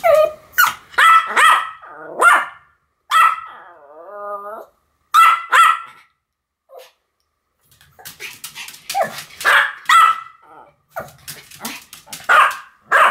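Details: Sam and Marin, two Pomeranians, yap together in sharp high barks, with a brief wavering whine between bursts before the rapid, overlapping barking resumes.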